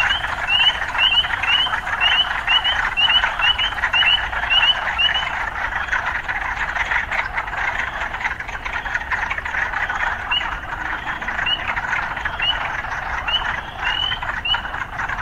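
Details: City frogs heard against a constant chorus drone; a fast burst of bright rising chirps for about five seconds, then sparser chirps every second or so.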